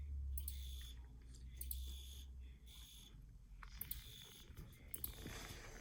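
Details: Field cricket chirps come in uneven bursts of short, high trills, some close together and some more widely spaced, over a low rumbling background that is louder at the start.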